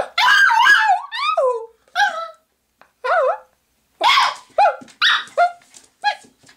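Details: Six-month-old Pomeranian puppy Haley at play indoors in a small bathroom, giving quick high yips with bending pitch and a few sharp barks, spaced in bursts with short silences between.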